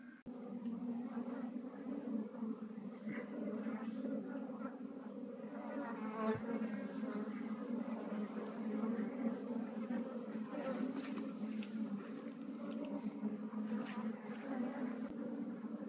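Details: A steady, dense hum from honey bees as a beekeeper moves a colony out of a traditional log hive into a modern hive. Handling rustles and bumps are heard over the drone.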